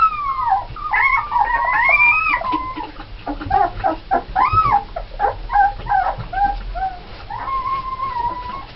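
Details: Red Alaskan Malamute puppies, a litter of nine born 1 November 2010, seven females and two males; overlapping high wavering howls and whimpers, rising and falling yips crowding together, with a long steady howl near the end.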